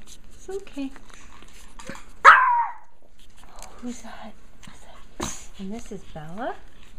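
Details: Japanese Chin puppies from a litter indoors: one sharp yelping bark stands out, followed by small whines and squeaky rising cries, with a person's speech around them.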